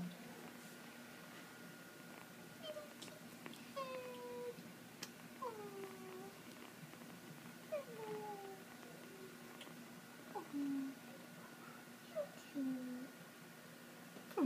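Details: Kitten, small and held in hands, giving a run of short, thin, falling mews about every second or two, soft and quiet over a faint steady hum, with a person cooing nearby.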